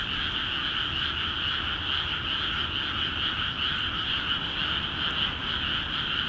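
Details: Chorus of many frogs in newly flooded rice fields in Akiha Ward, calling vigorously; countless overlapping pulsing croaks merge into a continuous shimmering trill, with faint soft ticks now and then.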